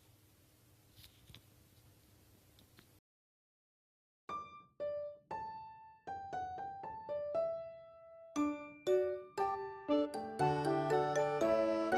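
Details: A brief quiet hiss, then silence, then a piano melody of single notes that builds into fuller chords.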